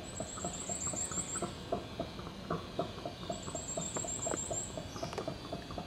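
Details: Howler monkeys (bugios, Alouatta) calling in a backyard: a steady run of rough, pulsed grunting notes, about four per second, with thin high bird whistles drifting over the top.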